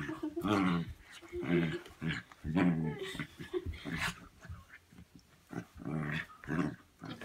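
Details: Domestic dog making funny growling noises while playing indoors, in a tame play session; rough, throaty grumbles in short bursts roughly once a second, with a person talking over them in a small room.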